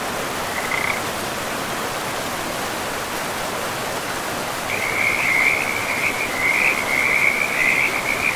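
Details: In a forest by a river, a frog gives one brief high trill, then a long, continuous, rattling trill that swells and wavers for several seconds over a constant rush of running water.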